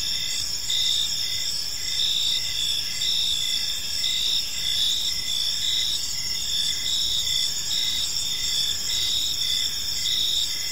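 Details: Evening park chorus of crickets: continuous high-pitched shrill trilling layered with regular short chirps about once a second, steady and unbroken, with a soft low rumble of background noise beneath.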